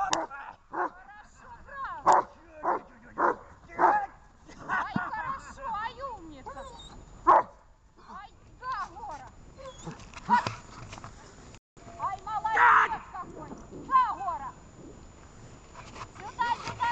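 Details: A dog gives a run of sharp, harmonic barks spaced about half a second apart over the first four seconds. Scattered yips and barks follow, mixed with steady human talking throughout.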